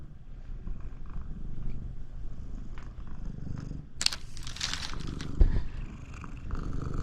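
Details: Loud purring from Shamue, a pet Siamese cat trying to keep its owner out of the bath; low continuous rumble in quick rhythmic pulses, interrupted midway by a burst of rustling and a sharp knock.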